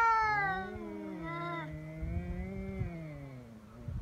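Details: Feral cats fighting in Japan on Cat Day, 22 February, threatening each other before biting and swiping; two long, wavering yowls overlap, one low and growling, the other higher and falling, sustained for four seconds.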